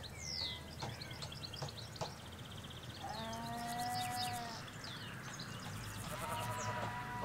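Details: Ewes and lambs out in a field in rural Hampshire, captured by stereo mics along a hedge: a sustained bleat in the middle and a fainter one later, over busy twittering birdsong.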